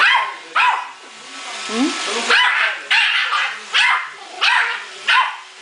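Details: Male Yorkshire Terrier fighting a robot vacuum cleaner indoors; sharp, high yapping barks in a steady run, roughly one every 0.7 seconds, some doubled, with faint machine noise underneath.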